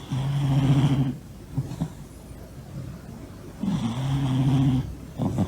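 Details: Monta, a large male Norwegian Forest Cat, snoring while sleeping belly-up indoors: two long, steady, low droning snores about a second each, separated by quieter breathy pauses, with a faint background rumble.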